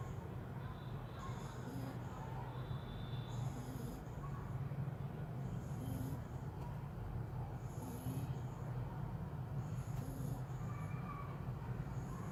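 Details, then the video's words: Little French Bulldog asleep and snoring, a low rumbling drone with breathy, hissing surges that return about every two seconds over steady low hum. "little frenchie snoring"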